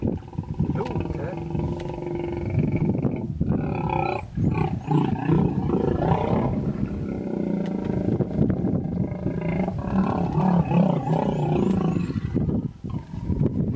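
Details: Female hippopotamus defending her young from an approaching male in a small pod on the Vurhami River, Kruger National Park, South Africa. Sustained low, resonant roaring and honking bellows, nearly continuous, with brief human voices and distant bird chirps.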